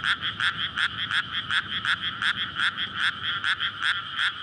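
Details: Night recording of frogs calling to court mates in a water-filled paddy among houses in May; loud layered croaking repeats in quick regular pulses over a continuous bright ringing band.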